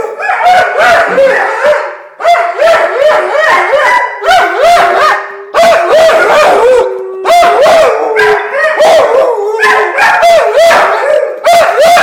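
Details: Several Labrador Retrievers "singing": long, wavering, overlapping howls that slide and bend in pitch, rising and falling in loops, in bursts of about one to two seconds with brief gaps, accompanied by sharp percussive note onsets.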